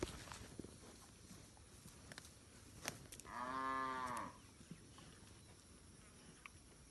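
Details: Free-roaming village cattle grazing in a green rice field; one long harmonic moo near the middle, about a second long, over quiet rural background with faint clicks.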